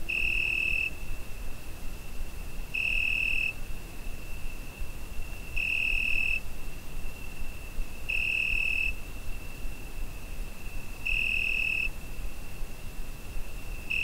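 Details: A cricket singing through a summer night, recorded on a Zoom H5, gives an unbroken shrill tone broken by five louder pulses, each under a second long, spaced about every three seconds, above a soft low hum.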